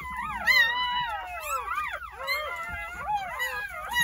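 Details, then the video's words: Jindo dog puppies just born on New Year's Day, nine in the litter at a rural house, give thin wavering squeals that bend up and down, overlapping continuously in a brief chorus. "새해첫날 시골집 진돗개 9마리 출산했어요 새해 첫 우렁찬 울음소리와 함께 새생명이 탄생"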